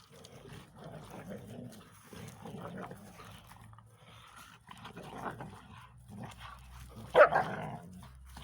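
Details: A Belgian Tervuren (Canis familiaris) refusing to give up its ball to a bull terrier cross gives low, rumbling growls and grumbling whines, ending in one sharp bark.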